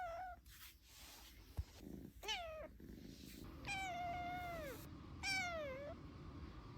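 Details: Black and white domestic cat making cute noises: a series of drawn-out, wavering meows, some rising then falling, several harmonic-rich calls about a second long with short gaps, over a steady low background hum.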